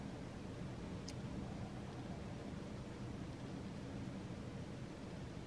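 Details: Steady broadband hiss with a low rumble, like a distant vehicle or a quiet indoor room; no animal voice heard.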